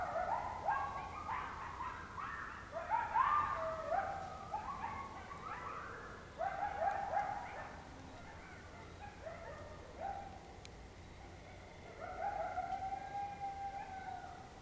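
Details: Coyotes calling close by in Oklahoma in October 2016: bursts of excited yipping and short falling howls in a group chorus, pausing around eight seconds, then a few longer steady wails near the end.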